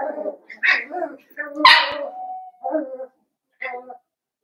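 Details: Indoor puppy pen with blenheim Cavalier King Charles Spaniel puppies, a litter of five born around New Year's; sharp, tonal yelps and squeals come roughly once a second, one long drawn cry in the middle, with human voices mixed in.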